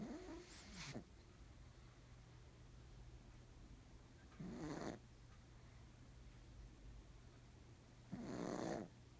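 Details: A black pug snoring loudly in its sleep indoors: three harsh, rattling, breathy snores, each about a second long, spaced roughly four seconds apart, over a steady low hum.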